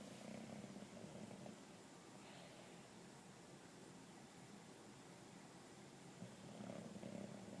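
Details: A 2-year-old English Bulldog sleeping on a couch snores in low, rumbling, rasping bursts separated by quieter breathing.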